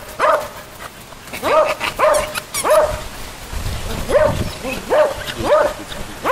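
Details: Playful poodle puppies, among them the cream poodle Grant, give sharp, bending yips with rising-then-falling pitch, about eight across a few seconds and spaced unevenly, over a low background rumble.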